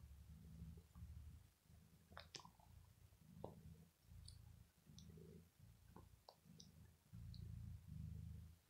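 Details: Bella, an ill house cat, purrs while biting and playing with clothes after pampering; quiet low purring in regular breath pulses, overlaid by sharp clicks and fabric rustling.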